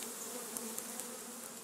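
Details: Thousands of defensive honey bees, possibly Africanized, at a 20-foot tree hole in St. Johns, Florida. Returning foragers try to get back into the colony while stinging, recorded on a phone. A dense, steady hiss-like hum is broken by faint clicks.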